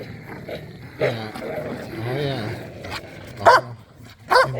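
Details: Dogs, pit bulls and a Malinois, romping in a yard during a tug-of-war game with a squeaky toy: a short whiny, wavering cry, then two sharp loud barks about a second apart over faint background noise.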